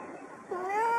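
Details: Domestic cat Yukke meowing toward birds outside the window in the morning; a single short rising meow with bright harmonics emerges halfway through over soft background murmur.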